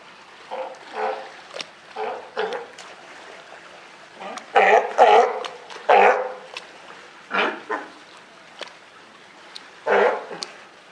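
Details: At Higashiyama Zoo and Botanical Gardens in Japan, a California sea lion mother and just-born pup, June 28, 2023. A series of roughly ten rough, barking bleats, the loudest clustered in the middle.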